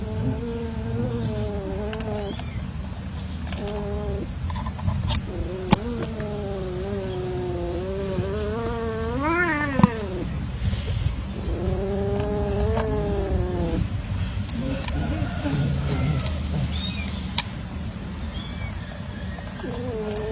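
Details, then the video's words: Playing cats in an unsuccessful love encounter: long, drawn-out, wavering yowls rise and fall almost continuously, climbing to a high, strained peak midway, over a steady low rumble with a few sharp clicks. "Playing cats / Unsuccess love !"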